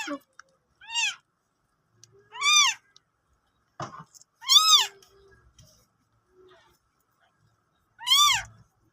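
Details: Cat giving birth to kittens: four high, arched, mewing cries with rich harmonics, spaced about one and a half to three seconds apart, with near silence between them.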